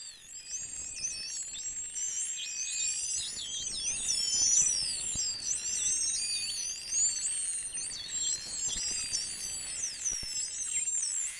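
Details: A pod of about a hundred false killer whales hunting fish a few miles offshore Vila Franca do Campo, São Miguel, Azores, whistles continuously, many overlapping high, thin, sliding calls, rising, falling or looping in quick succession.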